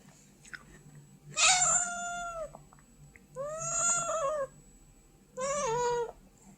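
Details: Domestic white cat begging indoors, giving three long drawn-out meows, the first rising then falling, with music playing and a voice saying no.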